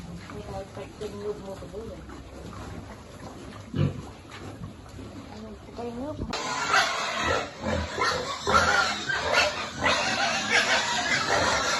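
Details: Piglet at feeding time on a pig farm, with a human voice talking at first, then a sudden loud run of harsh, noisy squeals and grunts packed closely together for the last half.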